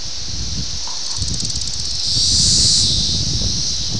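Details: Brood X 17-year periodical cicadas in Ayersville, Ohio, on June 18, 1987, recorded on a VHS camera: a steady high buzzing drone swells loudly midway and then eases, over low rumbling outdoor background noise.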